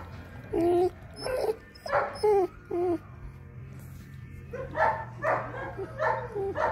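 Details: Long-coated liver sable German Shepherd puppy, eight weeks old, giving short whining yelps with wavering, bending tones, in bursts roughly half a second apart, then a livelier cluster of rougher yips, over a steady low hum.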